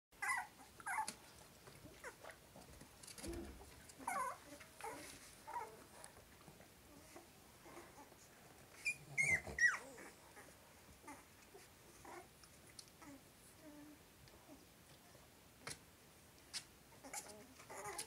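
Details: Three-week-old Cavalier King Charles Spaniel puppies give soft, high whimpers and squeaks amid quiet shuffling.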